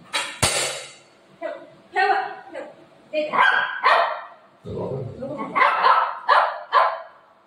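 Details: Pet dog named Buzo, angry at its mother-owner, gives sharp barks and yips in short bursts, some rising into whiny tones, mixed with a woman speaking Marathi close by indoors.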